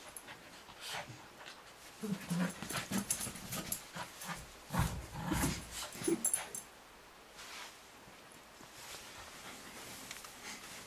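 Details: Nearly one-year-old male Cavalier King Charles Spaniel puppy at home, playfully attacking socks, even ones still being worn, while an older dog watches; low growly grumbles and scuffling bursts cluster over several seconds, then quieter rustling as a person speaks briefly.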